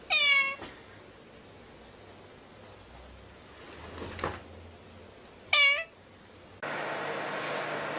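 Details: Kitten giving two brief, rising-falling meows several seconds apart over a low hum, followed by a sudden burst of steady hiss.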